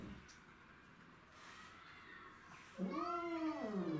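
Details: Territorial fight among domestic shorthair cats, with Tom, Mimi and a grey-and-white stray: after quiet background, a single loud yowl swells up, arches and slides downward in pitch near the end.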